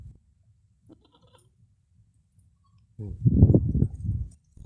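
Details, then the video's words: Newborn Black Bengal goat kids: after near silence with faint low rustling, a loud low harmonic bleat rises at about three seconds, wavering and pulsed over roughly a second and a half, then fades. "New born black bengal goat kids"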